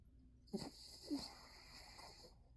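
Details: Dog asleep and snoring: two short, snorting, wheezy breath bursts about half a second apart, then a fainter rasping exhale, against a constant hissing background.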